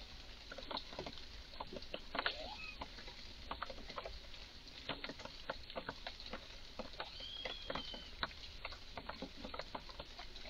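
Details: Red squirrel in a garden, visibly very agitated, giving strange calls: a steady run of sharp dry clicks and chucks scattered through the clip, with one faint thin whistled note late on.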